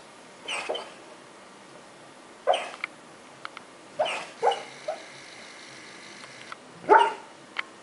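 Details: Sleeping pet dog vocalizing while dreaming, giving five or six muffled, breathy woofs and soft yips at irregular intervals over steady room hiss.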